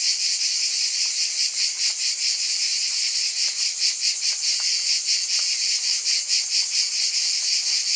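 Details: Continuous high-pitched cicada drone, its pulsing slightly uneven, with scattered faint ticks and a very low hum in the background.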